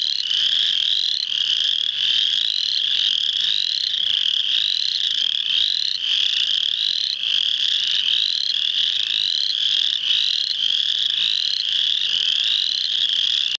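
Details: A dense chorus of spring peepers in full chorus at Muscatatuck National Wildlife Refuge, Indiana, on March 7, 2009: countless high, piercing peeps overlapping into a steady ringing wall of sound.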